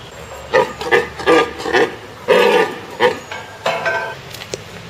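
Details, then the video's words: Red deer stag in the September–October rut, recorded 4 September 2017, roaring to announce his presence to hinds on his territory: a run of about eight harsh, throaty grunting bursts in quick rhythm over five seconds, with a faint hiss behind. "Red deer - Cervus elaphus - Rika evropskog jelena"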